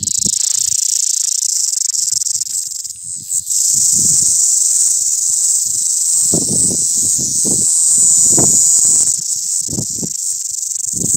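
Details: Mountain cicada heard outdoors: an unbroken, piercing high-pitched drone that stays level throughout, with brief dips in loudness, over scattered low thumps and rustling in the background.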